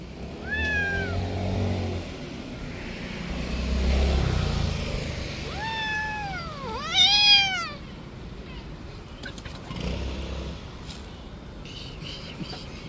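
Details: A street cat that played too roughly gives two drawn-out meows, each rising and then falling in a wavering arc. A low rumble of passing traffic or a motorcycle runs beneath, with faint clicks near the end.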